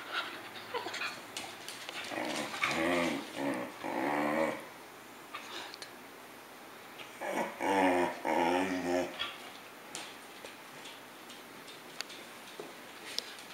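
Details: A pet dog playing indoors, growling in two drawn-out, rumbling bursts of about two seconds each, separated by a pause of several seconds, with soft scattered knocks and faint rustling around them.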